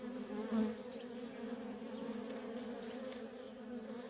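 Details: Honey bee workers in constant traffic around a wild feral colony produce an even, continuous hum. One louder buzz passes near the start, then the drone holds steady.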